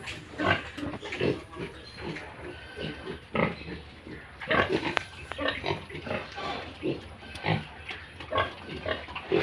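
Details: Several Yorkshire and Hampshire pigs and piglets on a farm in Bongaigaon, Assam: steady low, gruff grunting in rapid overlapping bursts, with a few louder snorts around the middle and faint higher squeaks.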